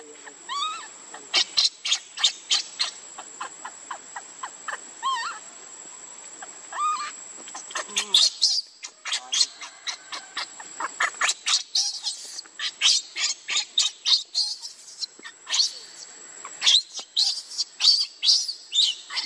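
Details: Refused milk by its mother, baby monkey Lucie keeps up high, shrill crying, with some rising squeaky notes early on, then dense rapid bursts of screaming squeals that stop and restart.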